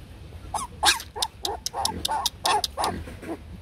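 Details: Shaggy Bac Ha dog, a Vietnamese breed kept at a breeding kennel: a quick run of high, yelping barks about every quarter second, some sliding downward, with faint background hum.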